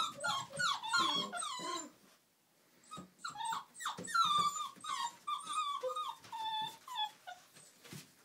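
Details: Old English Sheepdog puppies, Millie's girls at Haverlands, at play: a quick burst of squealing yelps, a brief pause, then rapid excited whimpers and yips with low growly rumbles and scrabbling noises.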